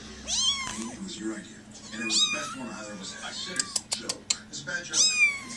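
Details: Kittens indoors, several small babies shown to a visitor: high thin mews rising then falling, three main cries spaced about two seconds apart, with a woman talking and a few sharp clicks between them.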